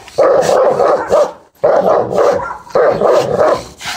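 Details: Dogs during a Dogo versus Rottweiler fight: loud, harsh barking comes in three dense bursts, each about a second long, separated by brief pauses.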